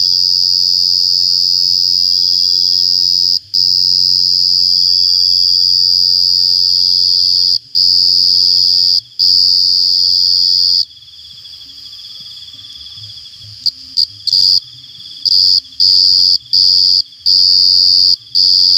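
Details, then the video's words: Cricket chirping: a loud, piercing high-pitched trill held for several seconds at a time, broken by brief gaps, then cut into shorter bursts toward the end. "jangkrik ngerik Sampek cemering neng kuping"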